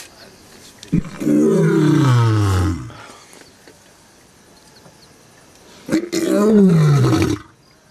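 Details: Lion at Olare Orok: two long, deep, groaning roars, each falling in pitch over about two seconds, separated by a quiet gap of several seconds with faint outdoor background noise.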